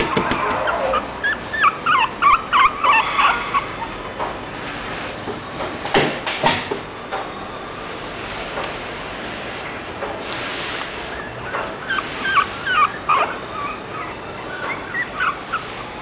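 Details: Angry French Bulldog producing quick bursts of short, sharp yips, clustered at the start and again near the end, separated by quieter gaps with faint background noise.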